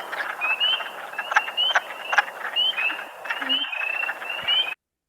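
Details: Spring peepers at a vernal pool give short, high, slurred rising whistled peeps over a chorus of lower, clucking, chuckle-like wood frog calls.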